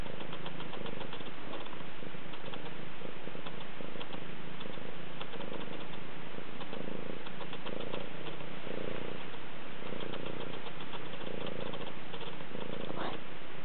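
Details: Rescue cat Moody heard at close range in December, purring continuously; a low rumbling drone with softer, less distinct rhythmic pulses roughly every second, ending with a faint higher sound.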